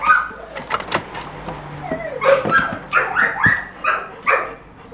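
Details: German Shorthaired Pointer retrieving a fox over a hurdle; high, wavering whines and short yelps rise and fall in quick bursts while a man repeatedly calls out encouragement.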